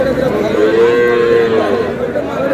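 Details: Sahiwal bull calves at a cattle market where buyers bargain over pairs, 5/5/26. A steady, sustained moo lasts about a second, holding an even pitch above continuous crowd murmur and talking.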